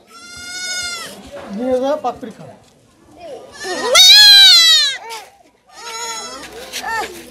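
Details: Goat kid bleating while being castrated: a few high, wavering bleats with rich harmonics, one long strained cry in the middle, and human voices talking between them.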